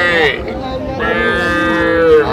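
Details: Calves, young bulls, at a cattle market in Comilla, Bangladesh, mooing with drawn-out harmonic calls, one sliding down in pitch, amid crowd noise and a man's voice.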